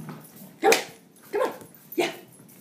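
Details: Chihuahua playing fetch, giving three short sharp yelping barks spaced about half a second apart, each bright and quickly fading, over a quiet indoor background.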